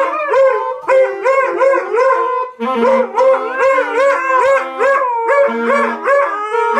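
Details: Group of Siberian Huskies howling together in a chorus, many overlapping wavering tones sliding up and down, steady and loud throughout with layered voices at different pitches.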